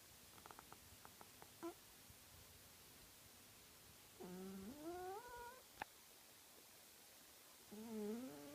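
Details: Domestic cat asleep and snoring, two tonal, wheezy breaths that climb slightly in pitch, preceded by a few faint soft ticks and a sharp click in a quiet room.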